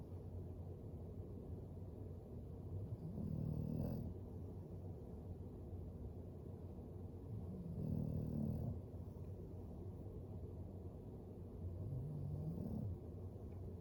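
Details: English Bulldog Floyd sleeping by the fire snores in slow, regular cycles. A rough, low, rattling snore swells about every four to five seconds, with quieter breathing between.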